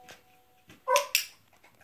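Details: Two quick, sharp barks in close succession from Milo, a Jack Russell terrier doing tricks, over a quiet indoor background.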